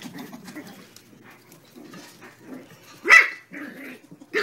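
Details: Terrier puppies Phil and Gloria at play with Maeve, tugging at her beard; soft growly grumbles and yips, then a sharp loud bark past the midpoint and another right at the end.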